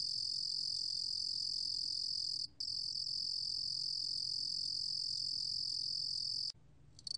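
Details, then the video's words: Steady, piercing high trill from a Korean cricket species, recorded in 2020 by a national biological resources archive; it breaks briefly at two and a half seconds and stops abruptly near six and a half seconds. "루루곰귀뚜라미, 여러번 듣기, 곤충소리"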